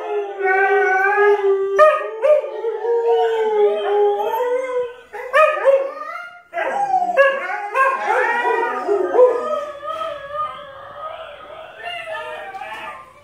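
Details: Siberian Husky howling along with other pet dogs: a long steady low howl opens, then broken, quavering howls and short yips overlap before the chorus fades out.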